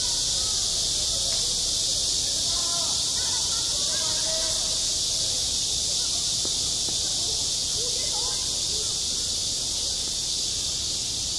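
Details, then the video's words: Cicadas sing unceasingly on a summer school playground, a bright hissing drone that never breaks, with scattered faint voices in the distance. "한 여름 운동장에서 매미가 울고 있다"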